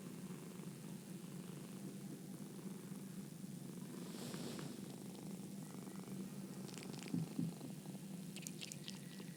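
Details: Domestic cat purring steadily: a low, continuous rumbling throb pulsing about four times per second, with a few faint soft clicks and rustles near the end.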